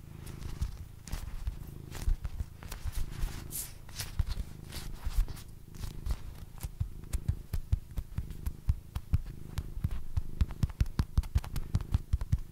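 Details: Basil, a pet cat, purring indoors during a relaxing session: a steady low rumble pulsing in slow cycles, overlaid with frequent sharp tapping clicks and light rustling.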